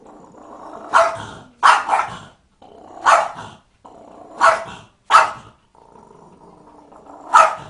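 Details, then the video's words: Cat-like noises from a dog: harsh, abrupt yowling bursts roughly every second, some doubled, separated by soft, low, growling stretches. "Dog makes cat noises"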